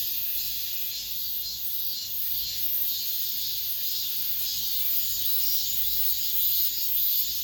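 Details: Final summer cicada song recorded within an apartment complex: a constant, piercing high drone with gentle rises and dips in loudness, over a quiet low background hum.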